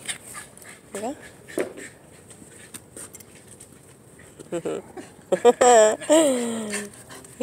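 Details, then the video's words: Excited pet Shiba Inu dog giving high, wavering whines with bending pitch: brief cries early on, then a louder run of warbling, howl-like whines near the end, while people talk and laugh over it. "Shiba Inu going crazy!!!"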